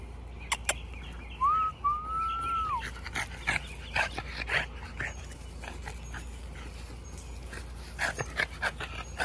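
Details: French Bulldog puppies at playtime; one drawn-out whine of about a second and a half, rising then holding and dropping, among soft thumps, scuffles and clicks of play, with faint high chirps in the background.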